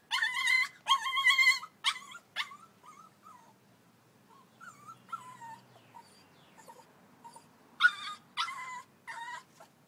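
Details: A Staffy pup whimpers on its way down the stairs as it learns them. Bursts of loud, wavering whines open the recording, soft broken yelps follow, and sharp cries return near the end.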